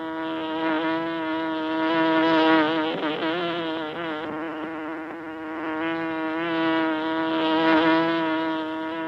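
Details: Buzzing of honey bees during village honeycomb harvesting, a continuous droning hum with many overtones. The pitch bends and wobbles and the volume rises and falls in slow waves.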